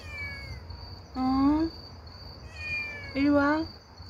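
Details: Motherless street kitten Bebe calling to people at night: two loud, clear meows about two seconds apart, each a rising, slightly wavering cry, with a faint earlier mew, a person calling softly, and constant cricket trilling.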